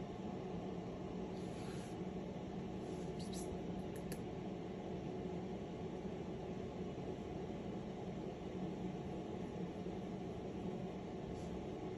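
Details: Steady broadband hum, like an air conditioner, fills an indoor room, with a few faint high clicks near the start and no animal voice.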